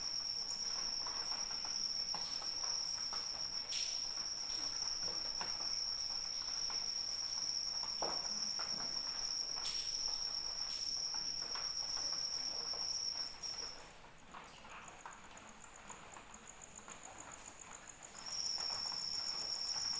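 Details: Crickets chirping in rain, a sleep soundscape: a steady high trill holds unbroken for about thirteen seconds, drops out while a second, higher pulsing trill carries on, then returns near the end, over soft rain patter and scattered drops.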